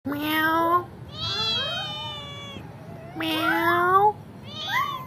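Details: Pet kitten at home answering its owner with meows: four drawn-out, harmonic mews, some low and steady, others higher and wavering, separated by short pauses in a quiet room.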